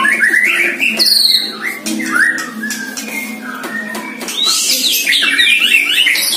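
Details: One-year-old caged White-rumped shama sparring in song with a neighbour's bird during training, giving rapid whistled slurs, bright high flourishes and buzzy notes in a dense, unbroken stream.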